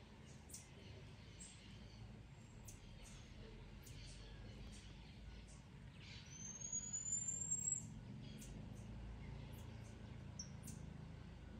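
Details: Marmoset calling to alert fellow monkeys to a cat: one long, thin, high whistle rising slightly in pitch and lasting about a second and a half, over steady low background rumble and scattered faint clicks.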